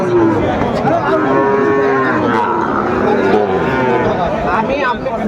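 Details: Sahiwal bull calves at a Sylhet livestock market, 29 June 2024: a mid-pitched moo stretches out and fades, then further softer calls follow, partly buried under crowd talk and background market noise.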